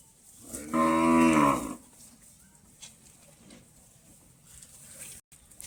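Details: Jafarabadi buffalo giving a single loud, drawn-out bellow with rich harmonics, about a second long. It fades into quiet background rustling, with a brief dropout near the end.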